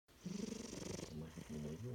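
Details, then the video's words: A pet cat napping and snoring: a low rhythmic purr-like rumble with fast pulsing, rising and falling over each breath, with a faint higher hiss above. "My cat “Chino” with his special snoring"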